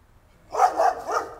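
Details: A neighbour's dog gives a quick run of three short barks in close succession, each punchy and mid-pitched, against a quiet background.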